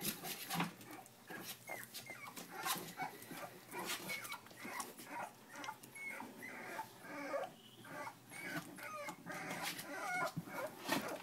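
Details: Three-week-old pups of Jack and Puzzle keep up a run of short, thin, rising whimpers and squeaks, overlapping one another, amid steady rustling and small knocks.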